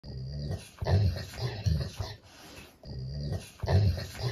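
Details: A golden retriever complaining and reluctant to come when called, while a cat pushes him along, gives low rumbling grumbles in two short bursts, quiet and throaty, in an indoor room.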